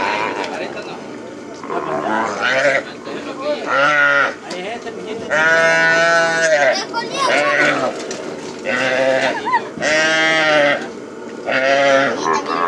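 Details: Calves turned out after branding while working the plains: long, strained bleating bawls repeated every second or two, some high and wavering, others lower, with men talking between calls.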